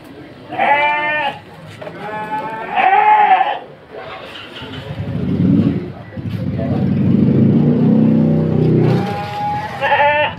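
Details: Petetan feeder sheep kept in a pen in Padalarang, West Bandung: three loud, shaky bleats, two close together at the start and one at the end, with a man speaking through the middle.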